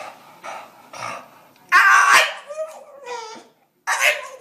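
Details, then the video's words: Pet dog 'talking' indoors, a brief loud harsh yelp-like bark followed by short falling whiny tones, with a person's voice around it in a small room. "หมาพูดได้ ดูไปมึนไป Funny Dog Talking"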